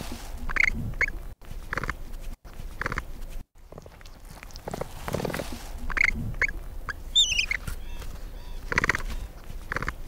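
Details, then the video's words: Capybara giving short squeaky calls in spaced bursts, some doubled, spread over ten seconds, with a brief high twittering bird call near the end and soft background rustle. "What does a capybara sound like?"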